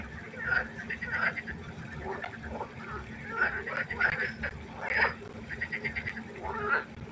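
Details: Night frog concert at a pond: several frogs give bursts of nasal, harmonic croaks, some quickly repeated, overlapping in an uneven chorus over a low steady hum.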